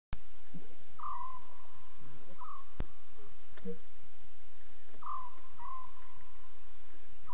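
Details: Lion cubs talking, recorded during Safari Live at 2:40 a.m. CAT on October 5, 2016: short tonal mews with falling tails, paired at about 1, 2.4, 5 and 6.9 seconds, over steady low hiss and a few sharp clicks.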